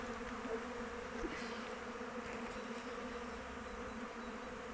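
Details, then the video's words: Honey bees from a backyard hive fly around it in open weather, making a continuous low hum with faint rises and falls as individual bees pass close. "Bees flying around hive"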